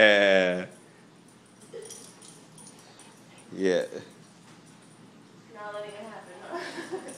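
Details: Six-month-old Vizsla puppy playing at home, joining in while its owner foam rolls: a loud, high, tonal whine opens, a shorter yelp follows mid-way, and people talk quietly toward the end.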